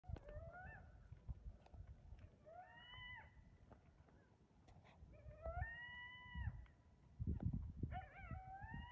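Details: Coyote confronting a deer, giving four drawn-out howls that swoop upward and then hold a steady pitch, spaced a few seconds apart, over a constant low rumble of wind or handling noise.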